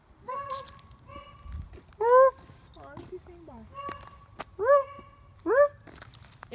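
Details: Dogs vocalising in short, rising, yelping whine-like calls, three bright upswept notes spaced over several seconds among softer held tones, with footsteps and low rustling nearby.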